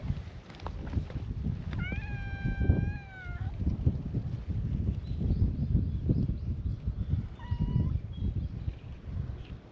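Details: Free-roaming cats at a cat gathering on a cat island greet a visitor with meows. One long, level, drawn-out meow is followed later by a short rising one, over steady low outdoor rumble.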